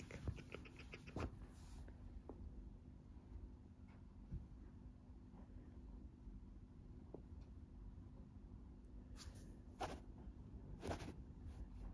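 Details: Large adult golden tabby Scottish Fold cat purring loudly with a steady, low, rumbling drone while being played with and teased, staying calm; a few rustles and taps.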